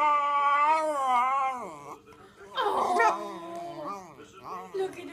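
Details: A pet schnauzer indoors vocalising at other dogs seen on a televised dog show. It gives a wavering, tonal howl-like whine that bends up and down, breaks off, then resumes in shorter rising and falling moans.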